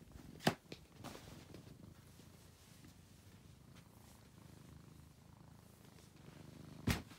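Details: Steady low purring from Angelus, a rescued male house cat, a gentle continuous rumble broken by two loud knocks near the start and end.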